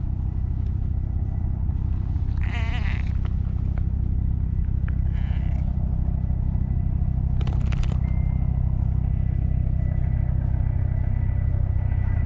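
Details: Stray orange tabby cat with a gravelly voice coming up to be stroked, filmed with a GoPro: a short hoarse meow at two and a half seconds, a fainter one near five, and a rough burst near seven and a half, amid constant low-pitched rumbling.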